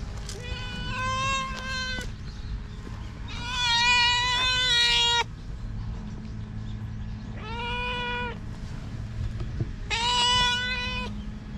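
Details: Stray cats calling with long, flat, strongly harmonic meows, four drawn-out cries of one to two seconds each, separated by short pauses, over a steady low hum.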